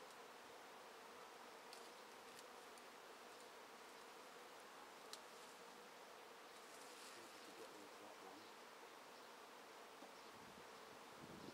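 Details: Swarming honey bees shaken from a tree into a swarm basket, heard as a constant, even drone of countless wings, broad and hissy above a steady hum, with a few brief clicks and knocks.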